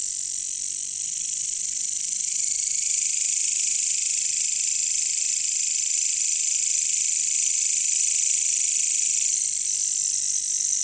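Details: Katydids (bush crickets, caricangkas) calling in a jungle: a dense, steady, high-pitched shrill chorus that holds unbroken throughout, growing slightly louder after the first two seconds.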